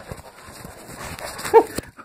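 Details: A Cane Corso in intensive search-and-capture rescue training gives a single short, loud bark amid low background chatter, as a handler sends it to find a hidden person.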